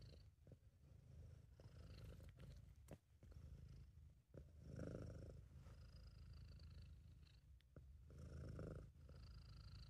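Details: Relaxed, happy British Shorthair named Sabu purring in an amateur recording: a strong, deep, rhythmic throat rumble that surges on successive breaths, with faint high nasal tones, soft clicks and light rustling.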